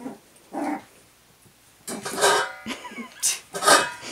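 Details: Cairn terrier puppies at play, giving short growly yips and rough barks in uneven bursts, with a mid-pitched harmonic growl, a pause, then several sharper, higher yaps over the last second and a half.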